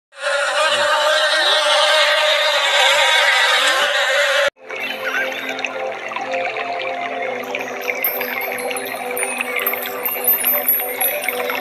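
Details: Honey bees at a beehive: a dense, steady droning buzz holds for about four and a half seconds, then cuts off abruptly and gives way to music for the rest.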